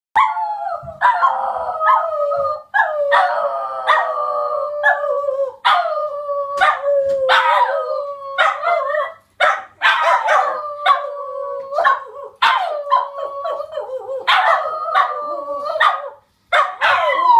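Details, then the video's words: Several pet Border Terriers howling together in a sing-song, wavering drawn-out howls overlapping in chorus, broken by short sharp barks and yips between phrases, voices rising and falling throughout. "Border Terriers Howling"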